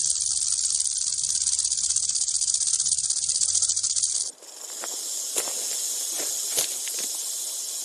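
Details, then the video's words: A rattlesnake gives a continuous high buzzing rattle for about four seconds, then it stops abruptly, leaving scattered clicks and a softer hiss in the background. "Rattlesnake Rattle Sound"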